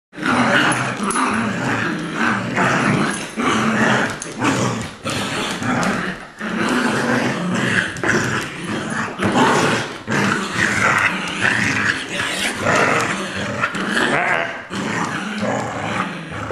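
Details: Two dogs, a two-year-old adopted Lab mix and a six-week-old Golden Retriever puppy, playing tug of war: continuous loud rough growling and snarling throughout, broken by brief pauses, with scuffling noise.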